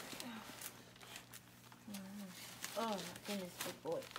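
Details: Newborn dog puppy during whelping, as the mother gives birth to her litter indoors: thin, high squeaky cries rising and falling in short arched bursts near the end, with a soft earlier whine and a woman talking gently throughout.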